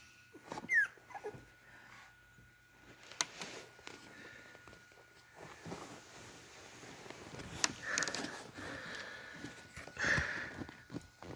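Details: Beagle puppies in a litter taking their first real steps, walking on four legs toward their mother to get food; thin high squeaks, one falling quickly near the start, more around eight and ten seconds, over soft shuffling and a steady faint hum.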